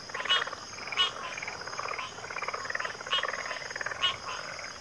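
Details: Frog chorus of many overlapping croaking calls, each a rasping pulsed burst, louder calls standing out about once a second over a steady high insect-like drone.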